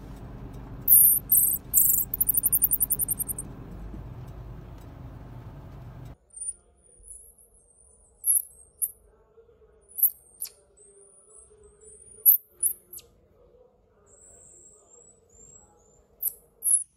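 Pygmy marmoset giving very high, thin squeaks and chirps, short and repeated at uneven intervals.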